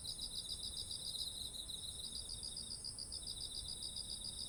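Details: Insect voices of autumn beside rice fields with ripe ears, captured on a ZOOM H1essential: fast regular pulsed chirps layered under a continuous high-pitched drone, with faint low background noise.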